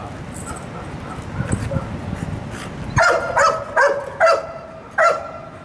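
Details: A dog being evaluated as a wildlife detection dog candidate gives five sharp barks spaced under a second apart in the second half, after quieter outdoor background with faint voices.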